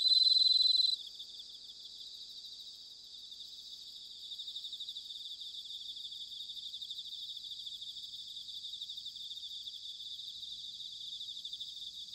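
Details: Bell cricket in autumn, Sanuki, Chiba, Japan: one loud, pure ringing note opens, then gives way to a steady, quieter, evenly pulsed high trill of several insects continuing to the end.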